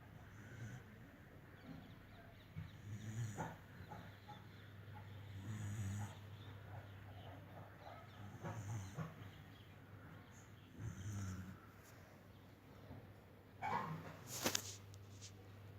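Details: A dog snoring while fast asleep, uninterested in anything around it: low, rasping breaths return roughly every two and a half seconds over a steady low hum, with a brief sharper noise near the end.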